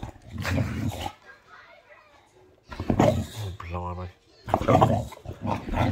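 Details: Boxer dog Luna in a playful mock attack, giving rough, low, noisy growling bursts near the start, around three seconds and again toward the end, overlapped by a person's voice telling her to be gentle and get down.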